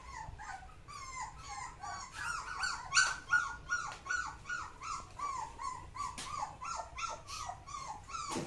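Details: Samoyed dog giving a long run of short, tonal, yelping yips with rich harmonics, each sliding slightly in pitch, roughly two to three per second, some higher squeaky notes mixed in, in a quiet indoor setting.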